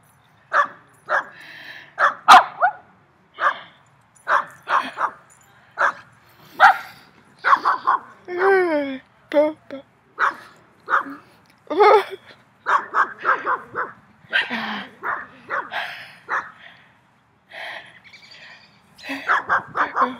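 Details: Three dogs bark very loudly at the recordist. Sharp single barks come in uneven bursts separated by short pauses, and human talking is heard alongside them.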